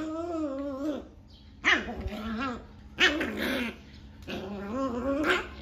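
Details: 40-day-old Rottweiler puppy, aggressive after a bath, voicing four harmonic, bark-like growls with a wavering, rising and falling pitch. Each burst lasts about a second, with short gaps between. No other clear sounds.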